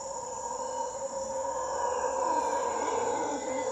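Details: A male mantled howler monkey (Alouatta palliata) in Puerto Jiménez, Costa Rica, gives a deep, rough, continuous roar that swells slightly midway, over a steady high insect-like hiss.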